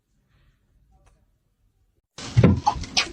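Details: Near silence for two seconds, then a brief burst of indoor clatter like a door or cupboard with a faint voice.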